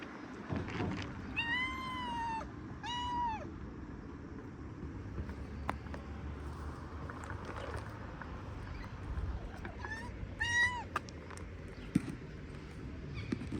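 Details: Local street cats, feral city strays, meowing to ask for food as they approach one by one while being fed. Two clear, drawn-out harmonic meows come close together early on, then a shorter pair later, over a steady low urban rumble.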